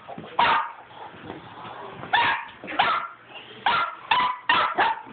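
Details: Several dogs playing with a tennis ball up and down a hallway indoors give short, sharp barks and yips in bursts, with scuffling and thumps between them.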